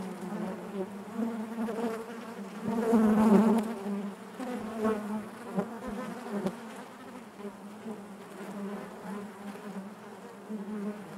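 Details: Inside a honey bee hive, a crowd of bees produces a constant droning hum with layered overtones, rising to a louder surge around three seconds before settling back into an even, wavering buzz.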